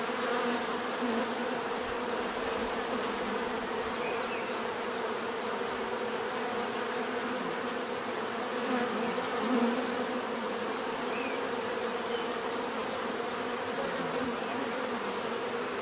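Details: Continuous hum of many bees, a thick unbroken drone with layered tones, faint higher chirps drifting in now and then.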